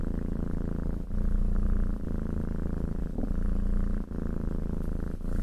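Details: A cat purrs under petting, a continuous deep rumble with brief dips roughly every second as it breathes, close and loud, with faint rustling of hand on fur.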